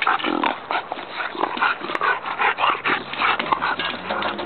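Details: Bulldog puppies playing on a playground, giving dense overlapping whimpers and short yips that run almost continuously, with brief pauses between bursts.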